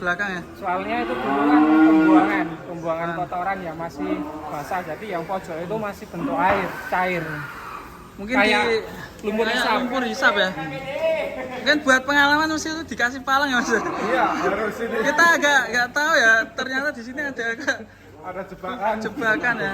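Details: Raging cattle that broke loose from its pen and sank into sucking mud, nearly dying; long harmonic-rich bellows repeat through the clip, some rising and falling in pitch, with overlapping calls and background voices.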